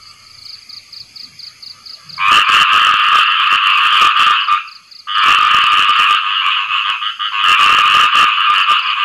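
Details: After rainfall, a khiat i-mo frog calls to attract a mate: after two quiet seconds, loud buzzing, rapidly pulsed croaking bursts in, breaks briefly, then resumes in long sustained runs.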